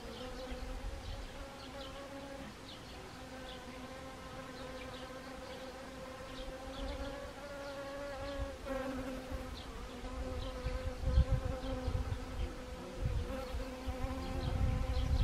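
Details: Several honeybees working Siberian chrysanthemum flowers, Gangwon Province, South Korea, 1 October 2020, autumn: an unbroken harmonic drone, pitch wavering slightly as bees shift, with low gusty rumbles growing toward the end.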